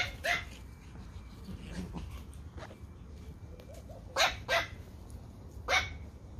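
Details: Pomeranian puppies playing outdoors in a garden: single sharp yappy barks at the start, a quick pair of high barks near the middle-end and one more at the close, with soft squeaky whines between.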